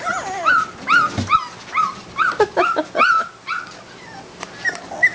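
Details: Litter of Labrador Retriever puppies aged three and four weeks, Belle and Malley's pups; rapid run of high, bent whimpers and yips, roughly two to three per second, then tapering into softer scattered squeaks.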